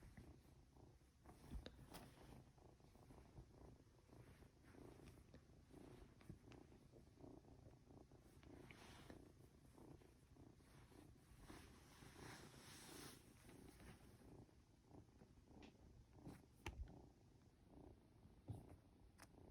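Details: Norwegian Forest Cat kitten, two months old, purring as it is petted and drifts toward sleep: a steady low rumble pulsing with its breathing, overlaid by rustling and brushing noises from stroking.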